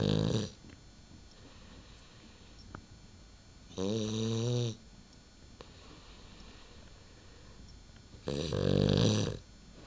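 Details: Cavalier King Charles Spaniel in deep sleep indoors, snoring loudly: three buzzy, rumbling harmonic snores about four to five seconds apart, each lasting roughly a second, with near silence between them.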